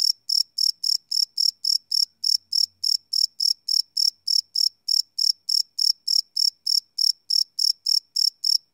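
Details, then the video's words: Live night recording of crickets made with a Sony PCM D100 field recorder, giving a continuous run of sharp, high chirps repeated around three to four times a second, nothing else heard. "Cricket Chirp Sound - Cricket Sounds at Night"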